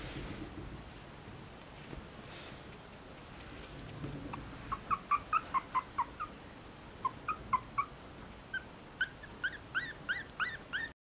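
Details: Female long-haired Chihuahua puppy, 30 days old, chocolate tan and white, in Fukuoka, Japan, on 20 April, gives a run of short, high, squeaky whimpers after a quiet start, coming faster and in clusters toward the end over soft background hiss.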